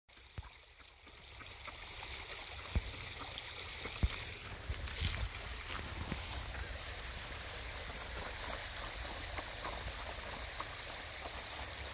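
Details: Quiet outdoor ambience of running water and soft rustling, with a few faint knocks, and no animal calls.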